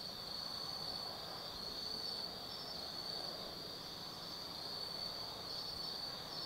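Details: Autumn insects calling after dark in the woods of Tsukimi no Mori, Kaizu, Japan; dense, unbroken high trilling with brief brighter chirps above it and quiet background noise.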